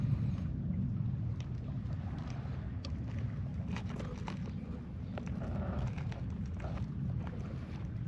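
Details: Continuous deep purring from a friendly stray cat stroked among strays gathered at a Japanese scrap yard, the low rumble holding steady while soft touches and small rustles come and go.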